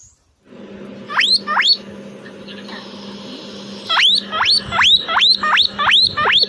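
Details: Pet guinea pig, one of two kept since young, in a backyard, giving loud rising whistled wheeks: a pair near the start, then a run of about six evenly spaced squeals, over a low steady hum.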